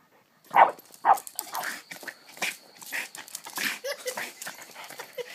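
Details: Dog named Hana, described as going crazy, gives two sharp bark-like yelps followed by a run of quicker, softer whimpering and panting bursts at an irregular pace.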